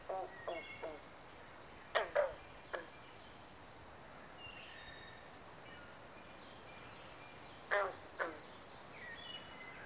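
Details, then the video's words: Carpenter and green frogs calling during mating season at a Southampton, New Jersey pond in the Pinelands: quick clusters of clipped, woody knocks at the start, around two seconds and near eight seconds, between sweet whistled bird notes. "Southampton NJ Frog Pond Sounds at Mating Season"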